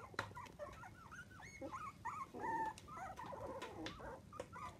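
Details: A litter of seven Miniature Dachshund puppies, aged 2 to 25 days, gives faint, thin whimpers and squeaks indoors, some short and arching, one a longer, wavering whine, with small knocks and rustles around them.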